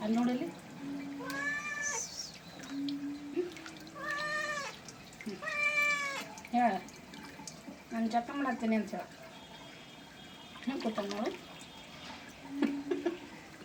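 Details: Domestic cat meowing while being bathed: a series of drawn-out, arching meows, several in a row, with a tap running, background music and a person talking softly.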